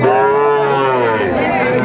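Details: One Sahiwal bull calf at a Sylhet market, June 2024, gives a long, even, deep moo with rich stacked overtones, holding level then easing slightly lower, while a second animal faintly joins toward the end.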